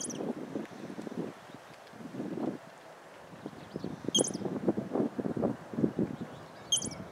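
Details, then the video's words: A squirrel in a park makes bird-like sounds, three short, very high chirps or squeaks spaced a few seconds apart, over steady rustling and wind. "Squirrel Makes Sounds Like a Bird"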